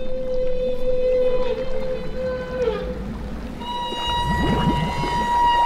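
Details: Humpback whales bubble-net feeding on herring in southeast Alaska waters in summer, a group working together; long steady tonal calls hold one pitch, then a higher sustained tone rises in, over low rumbling water and faint music.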